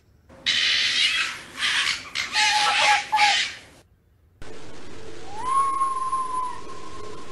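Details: Fox during the mating season, when foxes call out to each other: harsh, raspy screaming bursts for about three seconds, then after a short break a steady, high, thin whistled tone with a faint lower hum.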